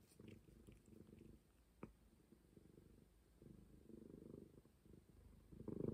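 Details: Quiet, steady purr from Momi, a stray cat, a low throbbing rumble rising and fading in waves, with one sharp tap just before two seconds and a louder surge at the close.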